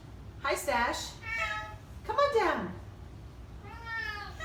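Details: Indoors on moving day to a new house, vocal Oriental Shorthair cats utter drawn-out meows that slide downward, plus a shorter flatter call, over a woman's encouraging voice.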